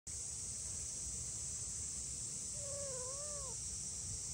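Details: Two-month-old silver tabby-and-white stray kitten, filmed in July, left alone after its mother and tabby sibling crossed a river, cries anxiously: one wavering, harmonic meow late in the clip over a steady high hiss and low rumble.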